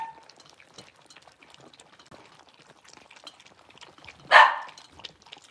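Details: Blenheim Cavalier King Charles Spaniel puppy, one of five six-week-old littermates kept in an indoor puppy pen: a single abrupt, high yip after several seconds of quiet shuffling and soft patter.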